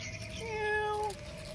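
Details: Hungry domestic cat left unfed gives a single long, steady meow that swells in the middle and fades, clear and tonal over quiet room background.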